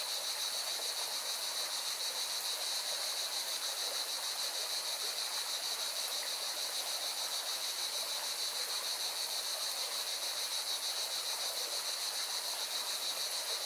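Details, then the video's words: Singing cicadas at a mountain river in Valencia, Spain, produce a strong, continuous high-pitched buzz with rapid pulsing, layered over steady river rush. "Певчие цикады и шум горной реки"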